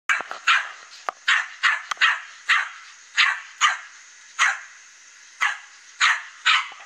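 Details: Loose dog roaming the neighbourhood in the morning, barking at a fence where a cat sits outside: a steady run of sharp barks, roughly two per second, about a dozen in all.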